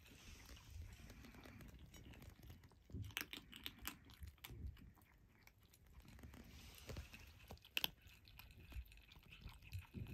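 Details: Five Turkish Angora kittens, just starting on dry food, crunch it with sharp, irregular bites and chewing in quick bursts; recorded 27 January 2023.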